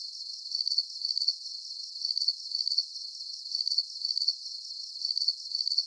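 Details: Crickets recorded for a deep sleep relaxation soundscape, trilling high and thin in steady pulsed chirps that come in pairs, each pair returning about every one and a half seconds over a faint continuous hiss.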